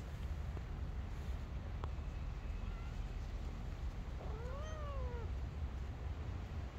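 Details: Street kitten, one of two kittens climbing on a lap and playing, gives a single clear meow that rises then falls, with rich harmonics, late in the clip over steady low rumbling background noise.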